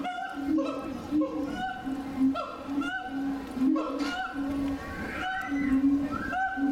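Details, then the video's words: A Siamang (Symphalangus syndactylus) at Tennoji Zoo, Osaka, Japan, on 2 May 2022 gives loud, hooting calls that rise and fall in quick, repeated bursts. "【鳴き声】フクロテナガザル 22.05.02 天王寺動物園 4k動画 Siamang"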